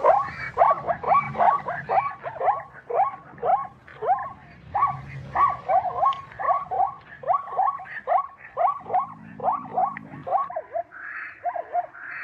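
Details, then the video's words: Rapid, regular yelping barks from a zebra, around two per second, each a harsh, upward-swooping note with rich overtones, ending in a brief lower buzzy sound and a softer squeal. "zebra sounds , zebra sound effect"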